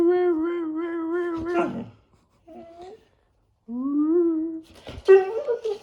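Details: Labrador Retriever Pado talking back to its owner, giving a held, quavering moan, then a short faint note, then a rising howl-like whine that ends in a rougher, broken grumble.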